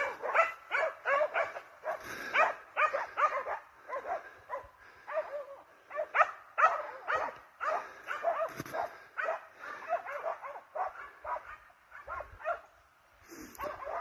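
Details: Several hunting dogs, hounds and Russo-European Laikas, chase a wild boar with dense, fast, overlapping barking. The barks come more than twice a second with brief pauses, and some higher yelps are mixed in.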